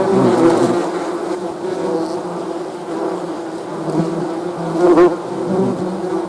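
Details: Low droning buzz of honey bees, with individual bees sweeping close and away, their passing hum bending in pitch; loudness dips in the middle and rises again near the end.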